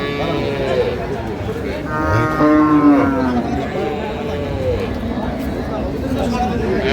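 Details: Dairy cow at Ambari Haat livestock market in Dinajpur, dated 9/3/25, where improved-breed milk cows and calves are sold: a drawn-out harmonic moo around the middle, with crowd chatter and background music throughout.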